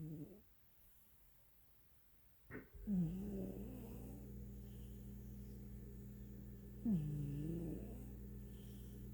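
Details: A house cat asleep in Pelham, Ontario, recorded April 8, 2022, lets out two rough, low snoring breaths about four seconds apart over a steady low background hum.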